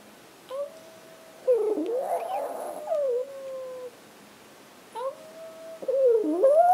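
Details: Pet Chihuahuas indoors joined by a person's howling to get them started, one dog howling when he cannot find his mom. Sustained sliding tones come in bursts with rougher, noisy wails between them, each phrase lasting one to two seconds.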